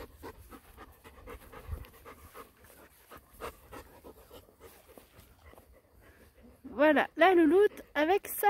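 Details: Four-week-old Golden Retriever puppies with their mother: soft, breathy panting pulses repeat rapidly, about two and a half per second, for six seconds before a person speaks French close by.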